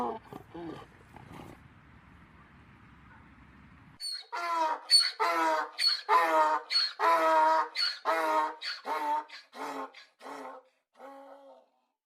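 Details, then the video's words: Domestic donkey braying: a long run of loud, harmonic, rasping bursts alternating in a see-saw rhythm for about eight seconds, fading out at the end, after a few seconds of brief talking and quiet background at the start. "Som do jumento zurrando"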